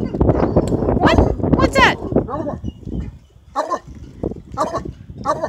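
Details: A male Redbone Coonhound, father of an upcoming litter, bays in drawn-out, wavering howls, sometimes putting his head right back, while people talk and laugh in the background.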